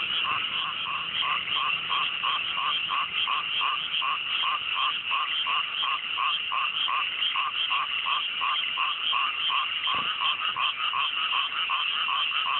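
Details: Frogs calling together at night in a freshly planted mountain rice paddy in the countryside, fine weather: evenly spaced croaks pulse about three times a second over a thick, continuous background trill of many callers.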